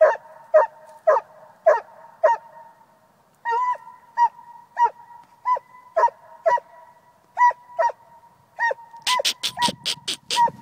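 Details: Coonhound barking steadily, short tonal barks about twice a second, with a brief pause midway and a burst of sharp, harsh noise at the end.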